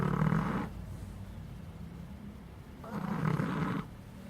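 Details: Sleeping puppy snoring: two low, rough rumbling breaths, each about 0.7 to 1 second long and separated by a quiet pause, in a still indoor setting.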